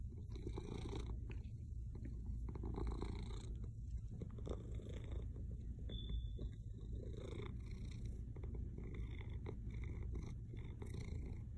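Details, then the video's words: Pet cat named Moogle purring very hard indoors, a deep, steady, rumbling low drone like a motorboat that runs unbroken throughout, with a person talking softly to him in Russian over it. "Moogle purring like a motorboat"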